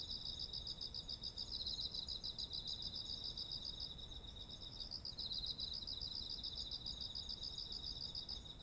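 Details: Autumn insects calling beside heavy, ripe rice fields: a dense, steady chorus of high pulsed trills, one rapid beaded trill rising and fading in bursts over a continuous high shrill buzz, with faint low background rumble.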